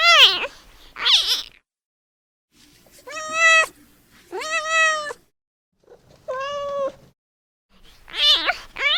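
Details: Newborn kitten calling for mom with repeated meows, two sharp swooping cries followed by three level, harmonic-rich meows and another swooping pair at the end, roughly one call every couple of seconds.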